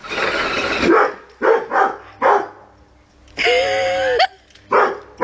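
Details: Pet Rottweiler playing with a car, with a handful of short barks and one drawn-out whining tone in the middle, over a low background hum.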